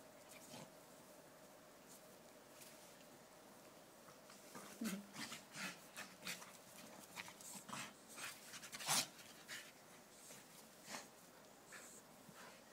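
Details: Staffies panting and breathing heavily, with irregular hissing breaths over about thirteen seconds, one sharper burst near the ninth second, and a low background hum throughout.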